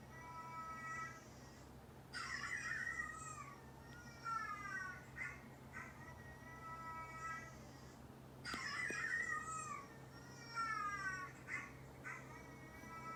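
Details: A neutered two-year-old orange tabby tom and a neutered brown tabby tom of about three react at home to dog barking. Series of wavering, downward-sliding meows follow two loud rough bursts, with a faint steady tone and hum beneath.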